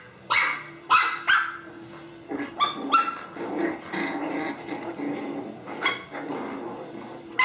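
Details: Playful puppies barking: sharp high yaps in a quick cluster, then softer growling barks and whimpery notes as the play continues.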